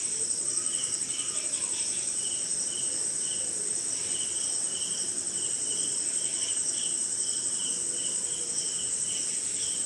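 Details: On a wet night somewhere in India, crickets produce a constant shrill buzz high above rapid, lower chirp bursts in loose series, with additional insect calls and soft low rain noise.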